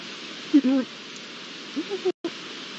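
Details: A pair of Iberian lynx recorded with original sound on 22 September 2022. Two short, harmonic, mewing calls: a first brief burst around half a second in, then a second one near two seconds, over steady background hiss.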